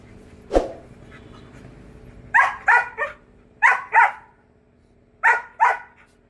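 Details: Hunting dog on a rabbit hunt barking in paired bursts: six sharp, harsh barks falling into three quick doubles over about four seconds, preceded by a single short knock, with a low steady hum underneath.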